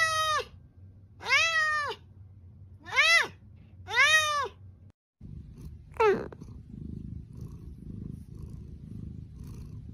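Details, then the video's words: Pet cat giving four clear, arched meows roughly every second and a half, each a bright harmonic rise and fall. After a short pause comes one quick upward squeak over low background rumble. "Funny Cats and Kittens Meowing"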